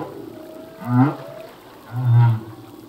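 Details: Humpback whale song phrase from a singing male: two deep, swelling groans about a second apart, each with faint higher harmonics above, set against a low hissing sea background.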